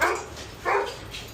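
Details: Golden retriever at a grooming service in Kerala gives two short, broad barks about half a second apart, with faint background noise.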